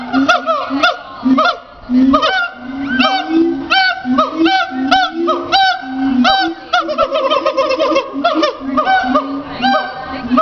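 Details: A siamang at Riverbanks Zoo in Columbia, South Carolina, gives loud, honking barks in quick, uneven bursts, each note bending up and down.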